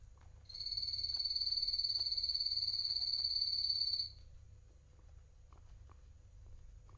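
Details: Adult male pet guinea pig, Coffee or Toffee, while eating, gives one sustained, piercing, high whistle with a fast flutter, lasting three and a half seconds, then quiet with faint clicks.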